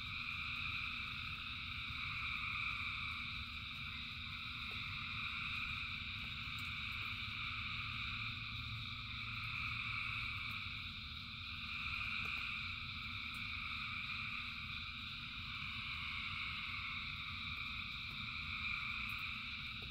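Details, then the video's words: Massed frog chorus in rain, thousands of frogs calling together as a continuous shimmering drone of stacked trills that swells gently and fades, with steady low rain noise beneath. "Frogs in Rain 2 Hours of Frogs, Thousands of Frogs Singing"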